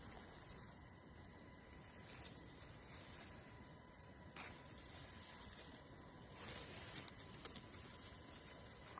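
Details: Crickets heard in nature produce an unbroken high, whining trill, interrupted only by a few brief taps and soft rustles against a light background hiss.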